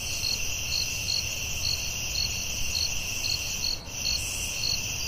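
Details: Night-time cricket chorus in a forest, with a continuous shrill ringing hum and crisp higher chirps at a quick regular pace; the sound briefly dips near the end.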